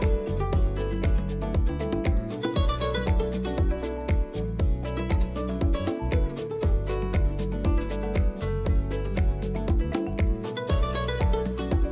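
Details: Upbeat plucked-guitar music with a steady driving beat plays throughout, and no animal sounds are heard.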